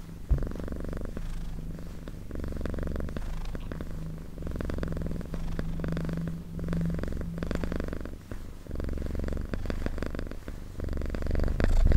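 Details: Close-up cat purring, a low rumbling throb in regular breath-length pulses, with a brief faint higher hum mid-way and a louder rustle at the very end.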